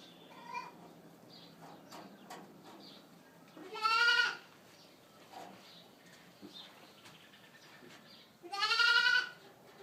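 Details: Boer goat kids from registered mothers bleating; two loud, harmonic, slightly rising bleats about five seconds apart, with faint clicks and quieter background noise between them.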